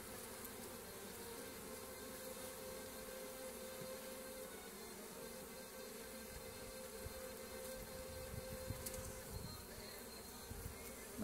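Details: Honey bee foragers rushing in with loads of pollen; a steady droning buzz holds one even pitch throughout, with a low rumbling undertone and faint scattered clicks and rustles.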